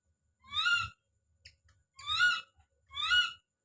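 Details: Baby monkey calling out with three loud, shrill, harmonic screams, each about half a second long, rising then falling, repeated roughly every second with quiet between them.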